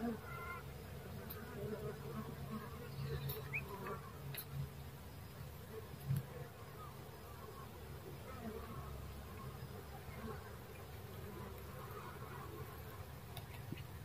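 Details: Low, continuous humming of dwarf honey bees underneath soft background rustling, with one louder tap partway through.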